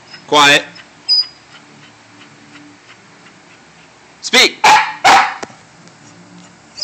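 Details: Pet dog commanded to speak and hushed by its owner: one loud bark early, then after a long pause three quick barks in a row, with the owner's repeated spoken commands between.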